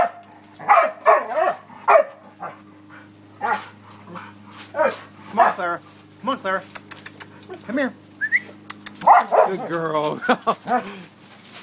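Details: Dog at play giving scattered short barks mixed with whiny, wavering yelps and a low steady hum in the background, busier and more drawn out toward the end.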